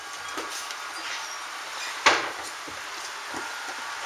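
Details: Steady background hum with scattered soft knocks and one sharp clack near the middle, like a cupboard or door closing; no animal voices are heard.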